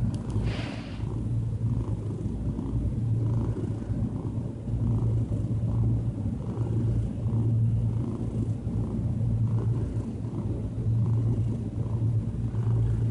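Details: Diana, a calm domestic cat, purring while relaxed; a steady low rumbling drone with gentle rhythmic pulses throughout, a brief higher rustle near the start.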